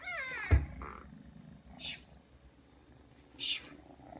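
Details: Indoors, a Ragdoll kitten of three months comes when called and kneads. It gives one brief, falling, harmonic meow near the start, followed by two soft hissing rustles.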